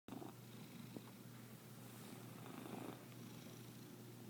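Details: Domestic cat purring strangely, an unusually weird purr; steady low rumbling drone held throughout, with slightly rougher, louder stretches in the middle.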